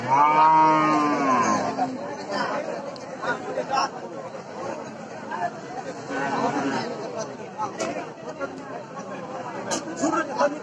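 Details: A cow lowing in Bangladesh, one long harmonic moo at the start, then a stretch of crowd chatter and laughter with scattered clatter.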